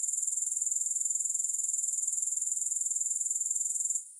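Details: Grasshoppers sounding with no music, a shrill, high-pitched pulsing trill held steady for four seconds before it drops away abruptly at the end.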